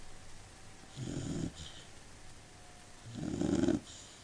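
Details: Labrador Retriever. A sleeping Labrador Retriever snores with deep, rattling breaths, each a rough low rumble lasting about half a second. Two snores come roughly two seconds apart, with quiet breathing between them.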